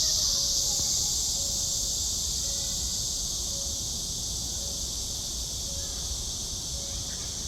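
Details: Crawling cicada in summer: an unbroken, hissing high-pitched drone, strongest at the start and easing slightly, with faint short tones repeating roughly once a second in the background.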